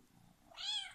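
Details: Male house cat in a diaper, described as very vocal and calling loudly when he wants attention; one short, arched, bright meow rises and falls over half a second in a quiet room.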